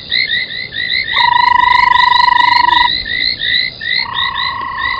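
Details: At a waterhole in Sabi Sand, South Africa, frogs call around a foam nest at 03:40 on a January night: two-second pure whistled tones over a fast stream of repeated chirping notes from many callers.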